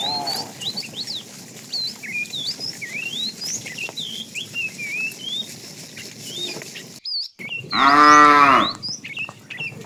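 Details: Afternoon herding of a tame cow herd; a fat cow calls the female with a short, rising-then-falling moo near the end, while small birds chirp and whistle throughout.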